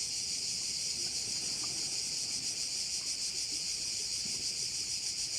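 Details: On Korčula in Croatia, cicadas fill a bay with a loud, steady sizzling drone, finely pulsed and unchanging for the whole stretch, no other sound standing out.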